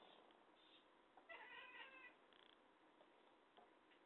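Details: A talkative cat makes one bright, wavering meow under a second long, then a few faint clipped chirps, against a steady low room hiss.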